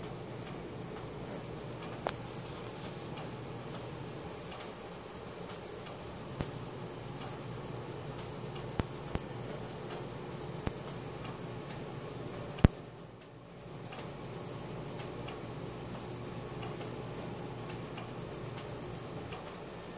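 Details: Crickets calling at night, recorded on a Samsung Galaxy S4: a shrill, even, pulsed trill runs without a break, dipping briefly in loudness around thirteen seconds, with scattered soft ticks in the background.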